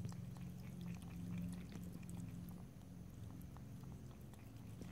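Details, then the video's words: Domestic cat lapping water, licking as it drinks. Rapid faint clicks repeat about three to four times a second over a steady low hum, with no talking. "ASMR Cat: Drinking, Lapping and Licking Water"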